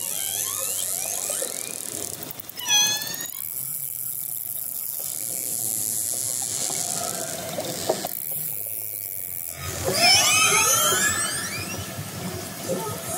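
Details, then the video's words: Orcas approaching a fishing boat, recorded underwater, give squealing, sweeping calls that rise and fall over steady hissing water noise. "Drone video and underwater sound of orcas apporaching a fishing boat"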